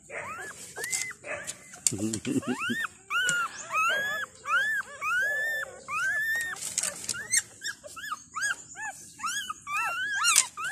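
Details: Five Thai dog puppies two days old, with their mother, crying out as if hungry for milk: loud arched whines rising then falling, repeated quickly, plus brief human voice and a steady high hiss.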